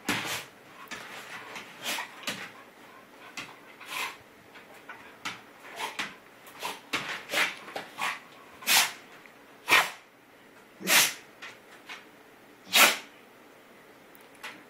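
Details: Sneezes from GiGi the dog during play boxing with Rudie: a run of sharp, hissing bursts that grow louder and sparser, about one every second near the end, in a quiet indoor space.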